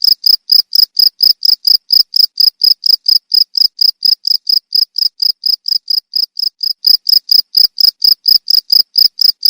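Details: A cricket calls in sharp, high-pitched chirps at a steady pace of about two per second, a recording meant for teaching caged songbirds; nothing else audible.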